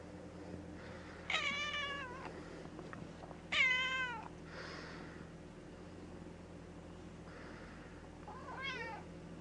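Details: Gray tabby house cat called Mouse, after her polyp-removal surgery, utters two long, loud, rich meows about two seconds apart, then a softer wavering one near the end, over a faint constant indoor hum.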